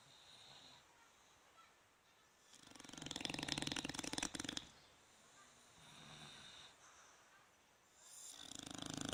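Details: Sleeping bulldogs Fukumaru and Rikyu, 26 November 2016: a loud fluttering snore of fast rattling pulses lasts two seconds, then softer breathing and a weaker snore, and another snore begins at the end.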